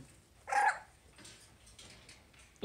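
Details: Havanese puppies playing indoors on a Friday morning: one short, high yelp with a bright harmonic tone lasting about a quarter second, then quiet rustling and soft movement sounds, ending with a sharp knock.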